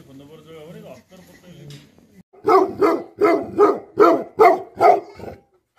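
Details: Human voice talking for about two seconds, then an angry Tibetan Mastiff (Bhote Kukur) breaks into a steady series of seven rapid, forceful barks.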